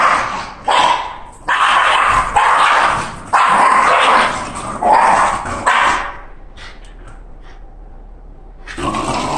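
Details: Shiba Inu Candy, worked up about her walk, lets out a string of raspy, wailing yelps in uneven bursts for about six seconds, then falls mostly quiet apart from faint clicks and one final cry.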